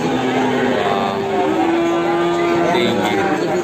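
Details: Large Peranakan Ongole cattle at the Kebumen animal market in the morning: a long, steady, droning moo holds for about two seconds, half-buried under men talking and the busy hum of the market crowd.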